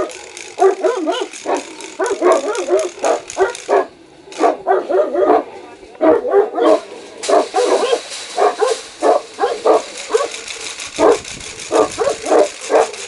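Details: Saint Bernard and Caucasian dogs barking aggressively, a fast, almost continuous string of sharp barks several per second, briefly dipping quieter around the middle before resuming.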